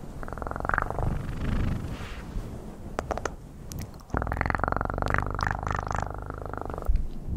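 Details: Soft, rumbling purr of a pet cat, quieter at first with a few clicks, then a strong, continuous vibrating purr lasting nearly three seconds.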